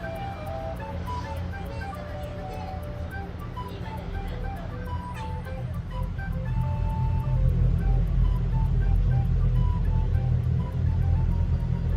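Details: Light melodic music with plucked notes plays over a deep traffic rumble that grows louder in the second half, and no animal calls come through.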